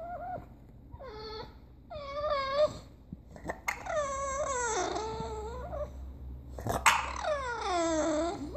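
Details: Bulldog Spanky "talking": a series of drawn-out, wavering whines and yowls, the first short and high, later ones longer with downward-sliding pitch, in a room with low background hum.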